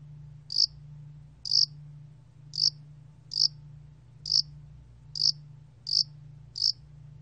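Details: Yasan allak cricket (야산알락귀뚜라미), Korean field cricket species, in a 2020 National Institute of Biological Resources recording: eight short, sharp high chirps spaced roughly one second apart over a steady low hum.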